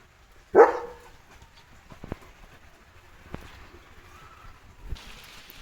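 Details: A single loud, abrupt bark from Leo, a German Shepherd guarding his village in the morning against cattle, vehicles and dogs, followed by near silence with faint ticking sounds and a soft hiss near the end.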